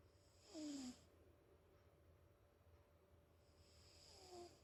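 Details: American Shorthair cat Rook, asleep and snoring softly; two drawn breaths about four seconds apart, each with a low falling droning tone and an airy hiss, in a very quiet room.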